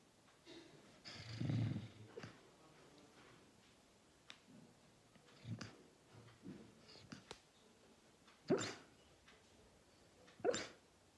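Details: Labrador Retriever, a male lab, snoring and barking in his sleep indoors; a low snore near the start, scattered soft huffs, then two short sharp muffled barks late in the recording.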